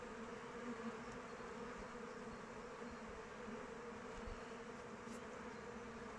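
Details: Honey bees swarming about their hive in open weather make an unbroken, even hum; a mid-pitched buzzing band stays constant while individual bees flicker past close by.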